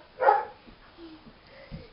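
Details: Foster dog Camper, indoors on a Sunday, barks in the background because he loves squeaky toys and wants to play too; a single loud broadband bark, then faint trailing sounds in a quiet room.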